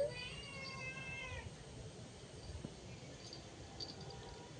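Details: A cat indoors gives one drawn-out, wavering meow lasting about a second and a half, then quiet room noise with Bengali speech nearby.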